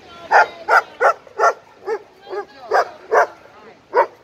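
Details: Playing together at a dog park, an 11-month-old Irish Wolfhound and its Italian Mastiff friend give about nine loud, punchy barks in quick, uneven succession with little else behind them.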